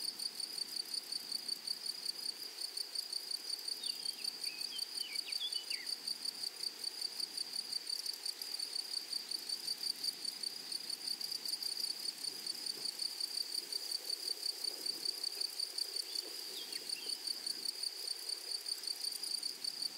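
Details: Flowery meadow grasshoppers produce a dense, continuous high-pitched ringing buzz, rhythmically pulsed nearly three times per second, while faint thin chirping notes appear briefly twice in the background.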